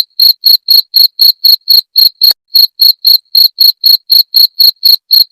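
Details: Cricket chirps used to scare rats away, high and shrill, pulsing evenly around four per second with one brief break partway through; nothing else audible.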